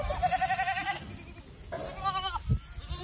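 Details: Adult Boer goat doe greets people on a commercial meat goat farm in mid Missouri, September 5, 2022. A long, quavering bleat with a fast tremolo, then a shorter wavering bleat, with light background music.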